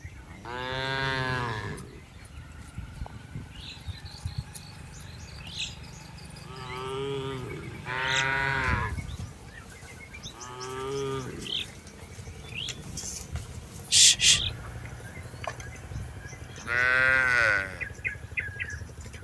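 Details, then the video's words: Cattle herded through rice fields, repeated loud moos at irregular intervals, about five calls over nineteen seconds, each rich and harmonic, with a brief sharp clatter near fourteen seconds. "Suara Sapi Lembu Jinak"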